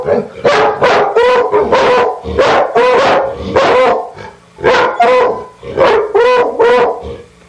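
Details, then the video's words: Two pet dogs barking loudly and insistently, short sharp barks fired in quick bursts of two to four, about fifteen barks in total with brief pauses between groups, no other sounds clear. "Dogs Barking"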